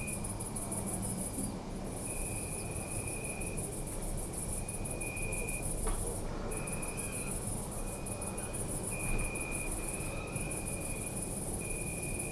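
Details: Crickets in a city park at night: a steady high trill with a couple of brief pauses, alongside repeated tonal chirps of varying length, a faint click near the middle, and constant low urban rumble.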